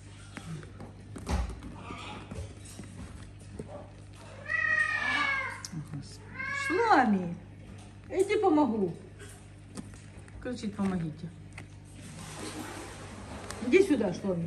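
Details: Cher, a domestic cat and mother of kittens, in a big house shared with many exotic pets; several drawn-out meows that sweep downward in pitch, spread across the clip, with a woman talking in Russian between them and brief music.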